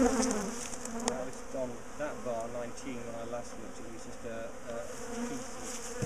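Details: A large bee colony housed in a top bar hive gives a dense, wavering hum while being split and relocated; the drone is constant and fairly even, with a few sharp taps early on.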